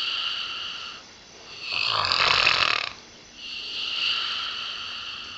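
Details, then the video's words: Snoring from Pip, a female springer spaniel aged eight, being treated with radiotherapy at the University of Liverpool for a nasal tumour; a steady whistling nasal tone swells into one loud rough snore, then settles again. "Pip Snoring"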